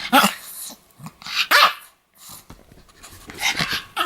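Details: Pomeranian dog barking aggressively, said to attack people: sharp, high yapping barks in quick irregular bursts with snarling edges, a short pause near the middle, then more rapid yaps.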